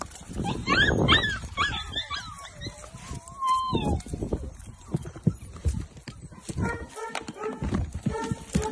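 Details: English Springer Spaniel puppies, a litter almost two months old, playing together; high whining yelps with sliding pitch early on, then a quick run of short repeated yips, over scuffling and thumping from the play.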